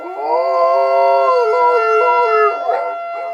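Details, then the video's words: Dog howling at a tornado siren: one long, sustained, wavering howl that holds steady and then slides down. It ends in a few broken yelps, over the constant drone of the siren. "My dog howling at tornado siren"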